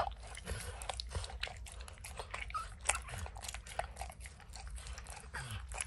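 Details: Max, a dog, licks and snacks on peanut butter and kibble stuck in an orange mat: rapid wet smacking clicks, several per second, over a low steady rumble.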